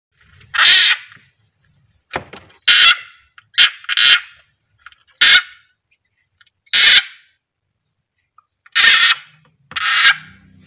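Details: Frog screaming while being eaten by a captive keeled rat snake (Ptyas carinata) at feeding time: loud, harsh, harmonic shrieks, each under half a second, about eight bursts in irregular spacing with silent gaps.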